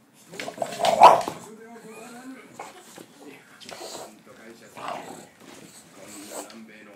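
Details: English Bulldog barking after being startled when someone bumped a laundry basket: one loud, sharp bark near the start, followed by people talking for the rest of the recording.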